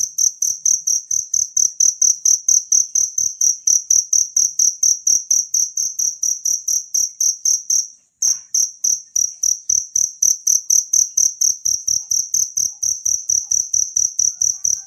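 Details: Shrill, ringing chirps from a wild cricket, offered as a master sound for songbirds, repeat a little over twice a second. One short break occurs around the middle of the steady, high-pitched series.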